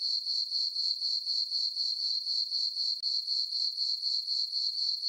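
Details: Crickets on a dark, full-moon summer night in a farm meadow produce a shrill, steady chirr that throbs about four times per second, briefly dipping once, with no other sounds.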